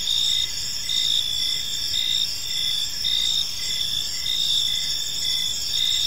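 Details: Evening park crickets: several overlapping high, ringing trills pulse about once a second above a constant shrill insect drone, with soft low rumble beneath.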